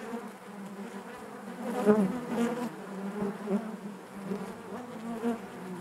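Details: Continuous low droning of many bees within a hive. The hum wavers slightly in loudness, rising briefly around the middle, with no other sounds.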